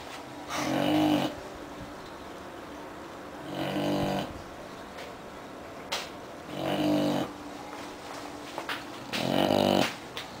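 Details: A sleeping English bulldog snores in loud, rasping bursts, each breath rattling for about a second, about every three seconds.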